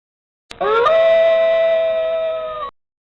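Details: Wolf howl: a single clean tone that lifts briefly at the start, then holds steady and level for about two seconds before stopping abruptly. No other sounds.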